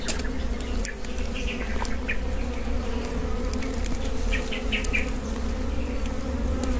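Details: Swarm of wild honey bees during a wild honey harvest in the Philippines; steady low droning hum with layered tones, unbroken throughout, faint scattered clicks and rustling on top.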